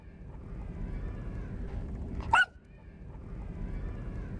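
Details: A beagle puppy barking for the first time gives one short, high, yipping bark against a low background rumble.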